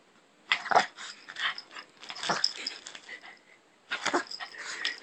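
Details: Pet Shih Tzu named Tobee guarding a TV remote: three clusters of harsh, raspy snarling growls, each about a second long, separated by short pauses in a quiet room.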